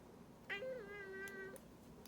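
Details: Domestic cat complaining during claw clipping: a single sustained, even meow lasting about a second, holding a nearly flat pitch, with a light click partway through.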